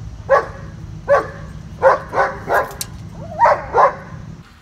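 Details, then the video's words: Two-year-old German Shepherd named Bosco, described as severely dog-aggressive, at a board-and-train program in Virginia, barks in an uneven series of about seven sharp, loud woofs, one with a brief rising whine before it. "2-Year Old Dog Aggressive German Shepherd, Bosco!"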